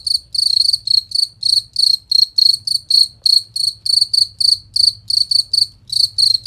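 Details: Cricket giving bright, piercing chirps, recorded as a clean master track for teaching songbirds competition songs; rapid pulsed notes in an even rhythm with a faint low drone.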